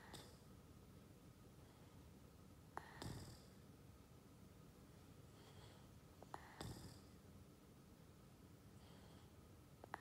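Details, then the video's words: Ollie, a Boston Terrier, snoring in a quiet indoor room: soft, breathy rasping snores recurring roughly every three and a half seconds, with faint sharp clicks in between. "Ollie snoring |Boston Terrier"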